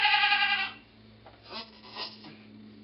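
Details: Goat named Pong, giving birth to twins on 2/11/11: one short, bright, harmonic bleat at the very start, then a quiet stretch with faint rustling and soft breathy noises.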